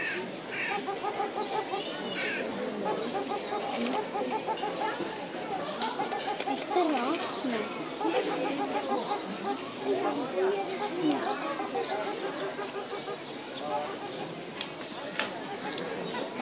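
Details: Meerkats at Tiergarten Schönbrunn chatter constantly with overlapping short, squeaky peeps and chirps.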